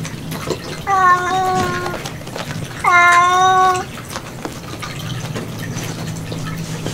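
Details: Domestic cat in an indoor kitten room at feeding time, giving two clear, steady, nasal meows about two seconds apart, each roughly a second long, over light clicking and a soft background hum.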